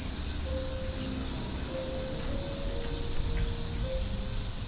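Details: Platypleura hilpa cicada in July at Sanzhi, Taiwan, recorded with Sony A7s3 and Rode VideoMic NTG: an intense, continuous high-pitched buzz with a slight pulsing texture, while thin steady whistle-like tones sound faintly lower down.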